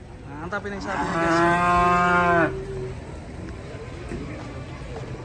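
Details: Raging, agitated cattle give one long, strong moo lasting about a second and a half, steady and rich in harmonics, then break off, leaving a low background rumble.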